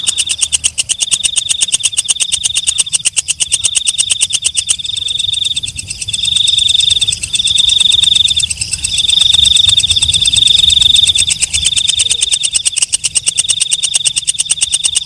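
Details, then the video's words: Nocturnal walang kecek (night grasshopper) giving a long run of quick high-pitched ticking, about four pulses a second, over a shrill sustained ring that rises and falls in loudness in several surges. "Suara Walang Kecek/ Belalang Malam"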